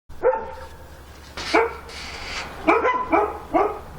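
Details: ['Dog barking at night in Korea: five sharp harmonic barks, one near the start, one at 1.5 seconds, then three in quick succession at the end, over a steady low hum.']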